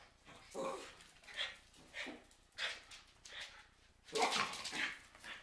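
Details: Cairn Terriers give a run of sharp, high barks and yips about a second apart as a storm approaches.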